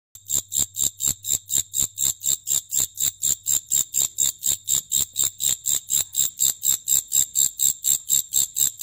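A grasshopper gives high, dry, buzzy chirps repeated steadily about twice a second.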